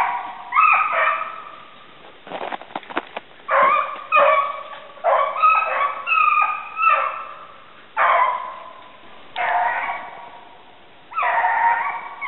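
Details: Rabbit-hunting dogs Gurdy and Magnum in southern New Hampshire, February 5, 2012, voice steadily on the trail. About a dozen bays follow one another, some clipped and barking, others longer and howled, with short gaps between.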